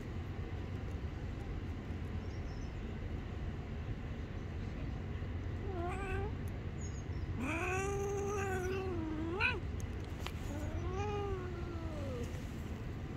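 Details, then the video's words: Angry street cat that bites a hand when touched, giving several drawn-out, wavering meows and caterwauls, some rising then falling, over steady low traffic rumble. "When I touch the Angry Cat, it gets very angry and bites my hand."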